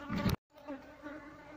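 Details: Asian honey bees buzzing as their colony is moved out of a hollow log; combs have been taken out and the queen is hiding in cavities. A loud knock, a brief silence, then an even, low droning hum resumes.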